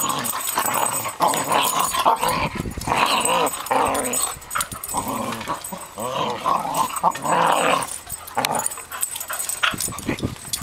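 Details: Two cocker spaniels bickering and fighting, with continuous rough, snarling growls rising and falling in bursts and a few sharp yips between surges.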